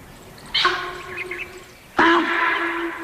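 Two loud, abrupt, ringing honks from a sambar deer, an alarm call raised at a leopard.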